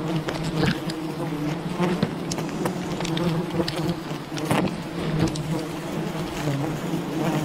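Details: Wild bee colony during honey hunting, a dense continuous low buzzing hum with steady droning bands and scattered clicks and knocks throughout.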